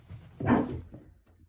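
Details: A Whippet named Freddie during a training session indoors gives one short, gruff bark after the command "come", followed by spoken commands "down" and "wait" in a small room.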